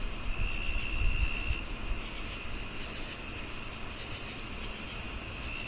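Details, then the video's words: [['Cricket chorus of quick, high chirps, close to four a second, set against a continuous thin tone and a low background rumble that swells early, then settles.']] "The Cricket Sounds"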